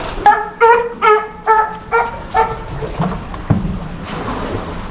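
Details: South American fur seal pup around one month old in an aquarium in Japan, born June 2023, mother short of milk; six strong harmonic bleats about every half second, followed by staff speech and a faint whistle.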